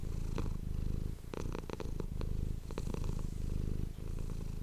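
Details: Pet cat's deep rhythmic purr recorded close for ASMR, rumbling in breath-length surges, overlaid by scattered sharp clicks and rustles from movement or touching.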